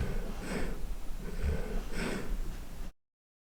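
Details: A golden retriever snoring loudly indoors: three rough, breathy snorts in under three seconds, each a harsh burst of air over a low rumble, then the sound cuts off.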